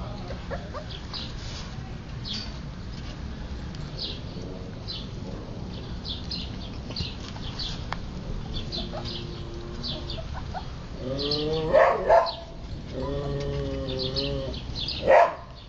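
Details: Siberian Husky puppies playing and eating; toward the end come several high, wavering whines with stacked harmonics, some rising and falling, above a steady low background hum and scattered faint clicks.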